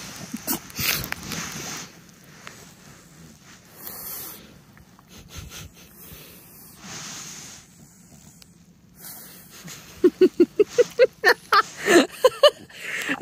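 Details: Timber, a French Bulldog at home, plays and rolls in freshly cleaned blankets on a couch while getting a belly rub. Wheezy snorts and snuffles come first, then a fast burst of loud, rhythmic snorts near the end, with human laughter around them.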